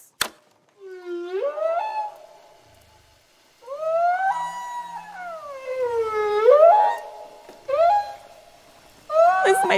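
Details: Humpback whale song recorded underwater, a sound able to travel hundreds of miles: long drawn moans that slide up, hold and sweep down, rich in overtones, in phrases separated by short silences, with a click at the start.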